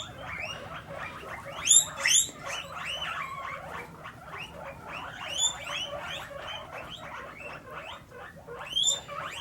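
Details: Pet guinea pigs kept indoors, dense overlapping high squeaks and whistled chirps running continuously, rising and falling, with louder shrill bursts near the start and end.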